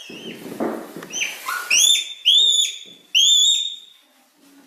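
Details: A Himalayan red panda gives loud, high whistled squeals that sweep upward, repeated in quick bursts.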